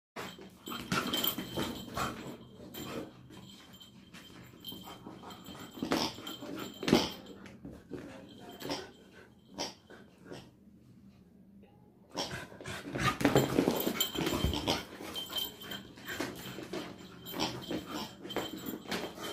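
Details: Angry Labrador Retriever puppy making rough, wheezy huffs and snorting breaths in dense, irregular bursts, loudest early and again after a near-quiet lull around ten to twelve seconds, with faint whimper-like notes among the breathing.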